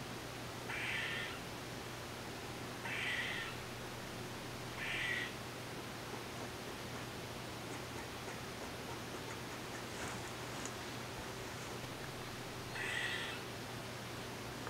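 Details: Eastern gray squirrel captured with a Nikon D3500 and Tamron 500mm lens, giving four nasal, buzzy rasps about half a second each, three close together and one after a long pause, over a low steady hum.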